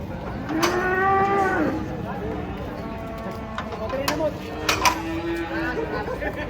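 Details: Huge cattle coming down off a truck, one stepped on by another: two drawn-out moos, the first short and bright, the second lower and longer, over people's voices and knocking from the unloading.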